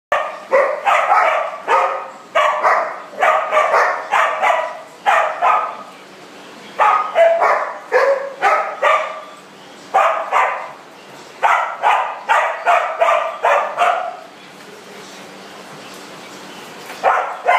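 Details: Dogs playing in a big dog party room, barking in rapid bursts of short, sharp yaps, often several in quick succession, with brief quieter pauses between runs; a steady low hum sits underneath.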